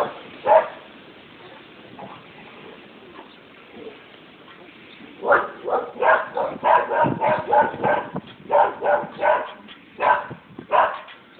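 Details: Dogs barking annoyingly: a single bark, quiet pause, then from about five seconds a rapid run of sharp barks, loud and fairly steady, several per second with short gaps.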